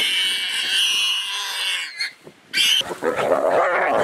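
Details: A wild boar gives harsh, shrill squeals, then lower, rougher grunting squeals.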